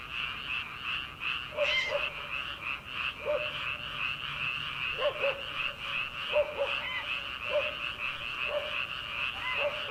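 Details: Rice-paddy frogs in early summer at night, before rice transplanting. An unbroken trilling chorus is overlaid by repeated short, lower croaks roughly every second, with a faint dog bark possibly far off.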